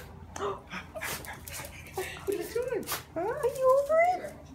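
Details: Pet Shiba Inu excitedly greeting its owners indoors after two weeks apart; a woman talks softly at first, then high wavering whines rise and fall in quick succession through the second half.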